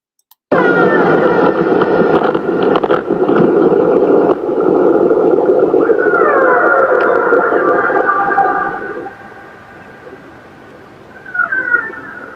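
Transient orcas call after a kill, with harmonic squeals that sweep up and down over a rushing hydrophone hiss.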